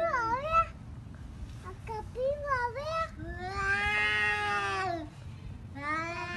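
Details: Pet cats in a fight, giving short bending meows and then a long drawn-out howl of about two seconds, the wails overlapping and uneven in a small room.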